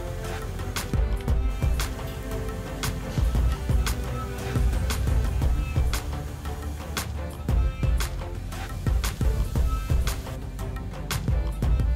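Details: Steady background music with a regular beat fills the whole stretch, with no animal sound heard.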